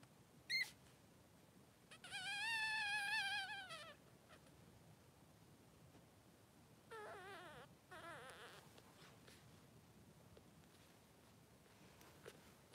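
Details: Newborn Blenheim Cavalier King Charles Spaniel puppies, two three-day-old boys, in a whelping pen with their mother Pom-Pom. A short squeak comes first, then two high, wavering, drawn-out cries of about two seconds each, rising then falling. The room is quiet.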